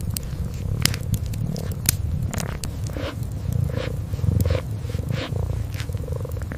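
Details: Kitten curled up asleep beside a fireplace, purring in a low, steady, deep rumble, with sharp crackles and pops from the fire scattered throughout and soft grooming licks.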